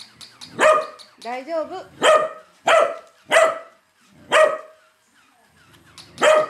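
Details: Corgi Hana-san barks hard at a moving toy corgi. Six loud, clipped barks come roughly a second apart, with a brief wavering, whine-like tonal sound after the first bark and a pause before the last.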